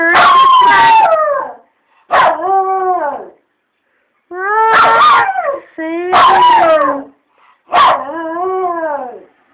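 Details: Rescue rat terrier–chihuahua mix howling loudly to "Roxanne", a song that sets him off even when sung to him; five drawn-out harmonic howls with yelping onsets, bending up then falling, in quick succession.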